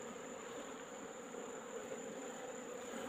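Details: Asian honey bees from a wild colony in a rock hole, heard on an afternoon while being collected: a steady, dense hum with low droning bands, continuous and even throughout, plus a thin constant high whine in the background.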